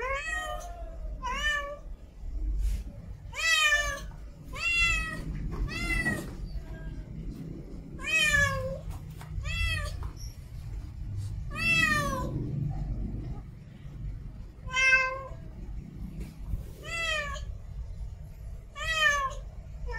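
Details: Female domestic cat in heat calling to mate: loud harmonic meows, each rising then falling, repeated irregularly about every one to two seconds over low background rumble.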